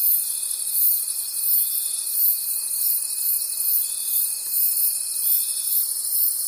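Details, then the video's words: Nocturnal forest crickets produce a sharp, high continuous trilling that beats rhythmically, joined by a level thin whine that holds for most of the clip before stopping near the end. "Forest Sounds and Cricket Conversations at Night"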